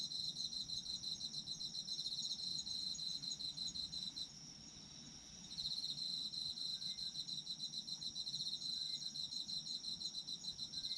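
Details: Chorus of autumn insects, meant for sleep listening: a continuous high, shimmering trill with fast pulses, breaking off briefly near the middle for about a second before resuming just as strongly; soft low rumble underneath.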